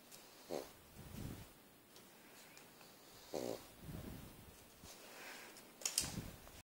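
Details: A sleeping pug snoring indoors, loud like a crop-duster plane: rough, broadband snorts return about every three seconds, with softer rasping breaths in between and a quiet room behind.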